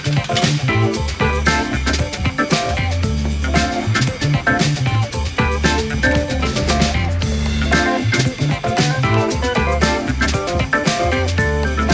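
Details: Upbeat band music with guitar, bass and a steady drum kit playing throughout, with no animal sounds.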